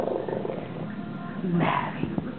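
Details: Boston Terrier Maverick giving his high-pitched growl, guarding his knuckle as someone pretends to take it away; a steady buzzy rumble runs for about a second and a half before a person's voice cuts in.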